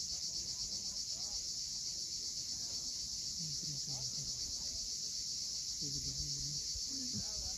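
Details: High insistent cicada buzzing, rhythmically throbbing about four times a second, on the steep coast at Cape Fiolent, Crimea, at sunset. Short low warbling phrases come and go beneath it.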